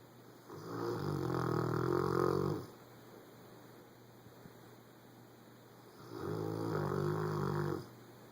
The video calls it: Our Rottweiler Boomer Snoring Loud